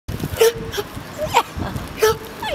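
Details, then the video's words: A 15½-year-old dog barks her head off: three short, sharp barks in quick succession. "15 1/2 Yr. Old Nikki Dog Barking her Head Off."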